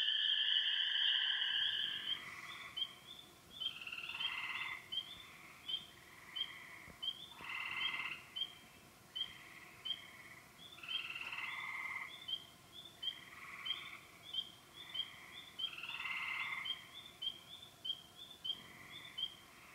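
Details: Frog chorus at remote ponds, Yellow Dog Plains, Upper Michigan: sharp high peeping notes repeated several times a second, mixed with short rasping pulsed trills from other frogs, after a brief loud opening shrill.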